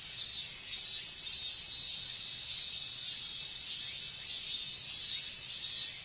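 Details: Large chorus of minmin cicadas on a hot Japanese summer day: a dense, unbroken high shrill drone that pulses gently in loudness without pause. No other sounds are heard.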